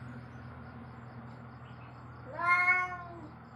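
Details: Single short, bright cat meow rising then dropping, heard near the end after a quiet stretch of low steady hum, from a recording intended to scare cats away.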